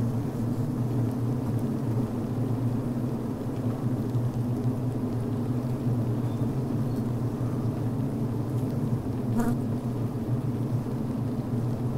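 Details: Healthy honey bees inside the hive on the brood frame, venting, chewing and building beeswax comb, recorded from within the hive: a steady, deep droning hum with a low resonant tone, unbroken throughout, and one brief sharper buzz near the end.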